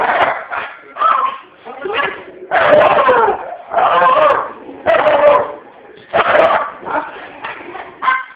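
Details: A dog reacts to dogs shown on television with harsh, loud barks coming roughly once a second in uneven bursts, with a voice heard among them.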